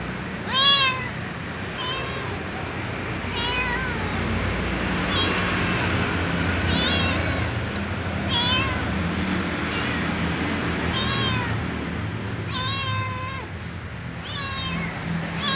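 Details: A small ginger cat begs for dry food with a series of rising-falling meows, spaced a second or two apart, one longer wavering whine near the end, against constant low-pitched background noise.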